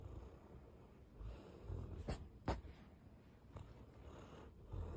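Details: An 11-month-old Bernese Mountain Dog, recorded on 23 December 2023, breathes slowly and softly while sleeping, with low rumbling snuffles and a couple of brief puffs.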